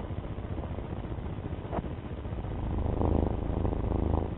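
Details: Domestic cat purring: a steady low rumble made of fine, rapid pulses. It swells louder and slightly brighter through the second half, with a faint breathy rasp layered on top.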